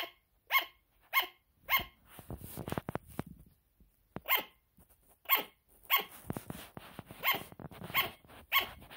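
A sugar glider barks in sharp, yappy bursts, repeated roughly every half second to second.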